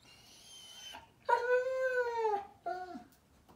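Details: Bedtime crying from Daisy, a German Shepherd puppy, in a small room: a thin high whine, then a long loud harmonic cry bending slightly, and a short falling whimper to close.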